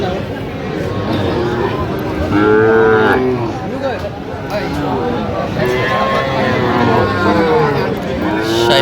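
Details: Sahiwal bull calves at a cattle market in Mymensingh, Bangladesh, 11 October 2025: drawn-out lowing moos around the third and seventh seconds over constant crowd chatter and voices.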